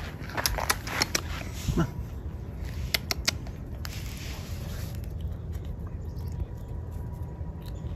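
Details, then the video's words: Hazel the squirrel gnawing a walnut as a winter snack: a burst of sharp, crackling clicks through the first three and a half seconds, then sparser soft ticks over a steady low hum. "Hazel the Squirrel's Winter Snack"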